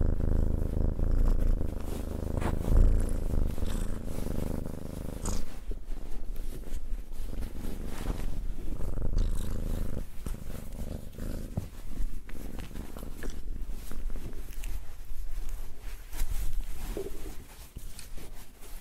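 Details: Cat purring loudly and rumbly, a throaty low vibration with uneven breathing texture and occasional soft clicks and snuffles.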